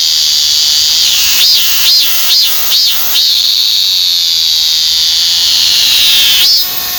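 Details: One of Korea's most familiar cicadas, the Korean cicada, calls with a brief high drone, five quick swelling pulses, then a long sustained buzz that sags slightly in pitch before one last pulsed note.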